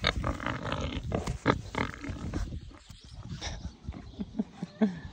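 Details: A pair of growing, affectionate captive wild boars, one unwell that morning with a stomach upset and now recovering. Dense, rapid low grunting and snuffling fill the clip, easing into spaced single grunts toward the end.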